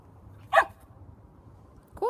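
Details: Alaskan Malamute recorded on 8 June gives one short, sharp bark; a second bark starts right at the end, over a faint low hum.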